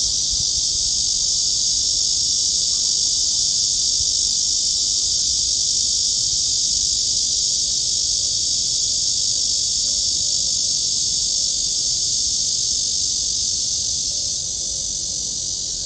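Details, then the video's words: Cicadas singing in summer at Gwanggyo Lake Park by Sindae Reservoir in Suwon, Korea, recorded on a walk along the trail on 16 August 2022: a dense, steady, shrill high-pitched drone that holds unbroken throughout, slightly fading at the very end. "광교호수공원 걷기 매미소리"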